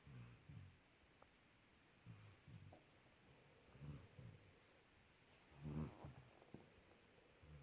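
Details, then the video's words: A puppy asleep beside his boy, snoring: soft, low rumbling breaths rise and fall at irregular intervals, with a louder snort near the end and faint rustling. "Puppy snores loud super funny when he gets woke up"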